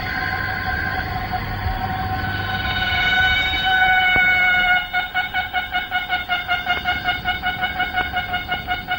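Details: Chorus of male cicadas, heard at dawn or sunset in the Malaysian rainforest, recorded late 1950s to early 1960s: a loud, steady, horn-like drone with clear overtones breaking into rapid pulses, two or three a second.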